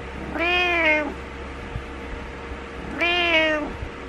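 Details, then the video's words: Two loud, rich meows about two and a half seconds apart, each slightly falling at the end, from Butters the cat demanding that its owner wake up. A soft background hum continues. "My Cat Wants Me Awake"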